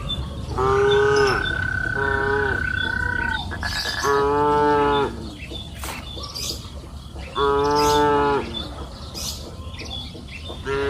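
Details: Afternoon on a green pasture hill: cattle grazing freely moo repeatedly, five deep harmonic calls of about a second each, some overlapping, while birds chirp and a thin whistle-like tone sounds early on.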